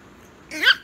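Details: Teeny tiny Chihuahua puppy reacting to being told it's bedtime: a single short rising yelp with bright harmonics, arching upward then dropping off, in an otherwise quiet room.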